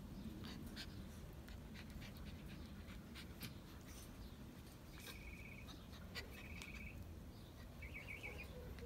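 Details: Two Pungsan dog puppies give brief, high, thin whimpers over a steady low rumble of background noise, apparently wanting to come out.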